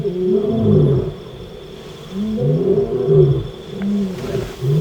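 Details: Lion of the African savanna giving low, drawn-out groaning calls that rise and fall in gentle arcs, two or three grunting phrases over a few seconds, with a faint background hiss and thin high tone.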